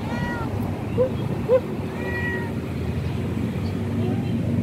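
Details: Stray mother cat living on the street, heard while being given food: two drawn-out, arching tonal meows, one at the start and one near the middle, with short squeaky chirps between them over steady low traffic rumble.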